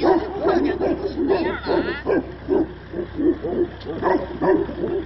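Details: Tibetan Mastiffs kept by a breeder in China, giant muscular dogs; a rapid run of deep, harmonic barks comes in bursts roughly every half second, overlapping one another, with human voices mixed in beneath.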